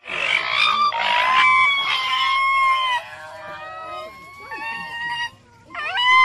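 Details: Common raccoon dog giving loud, harsh, honking whines with strong overtones for the first two and a half seconds. Thinner, high whistled whimpers follow, slowly falling in pitch, and one more rough burst closes the clip.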